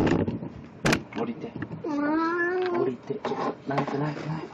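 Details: One sustained, even-pitched meow about a second long from Puran the cat, dressed as Snow White for an encore costume show on 1 April 2017, surrounded by people speaking.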